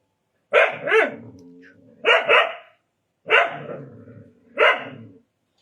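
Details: Indian dog, a desi dog, barking in harsh doubled barks repeated about four times, each burst followed by a brief rough, growly trailing tone.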